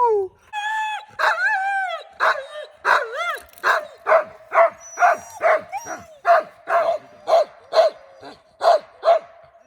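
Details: Team of husky sled dogs in Aberdeenshire, Scotland, howling together outdoors: rising, wavering howls at first, then a long run of yelping calls about every half second over a steady held tone.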